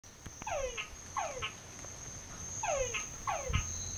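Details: Frogs singing in a well at San Pedro Nonualco: loud downward-sweeping whistled calls, each followed by a short click, repeated in pairs every second or so, over a steady high insect whine.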